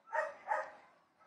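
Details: Dogs barking at a distance: two quick, hoarse barks about a third of a second apart, each fading with a slight echo into quiet.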